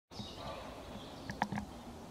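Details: A roe deer gives a few short, harsh barks in quick succession against a quiet outdoor hiss, in April 2020; it was the first barking heard that season.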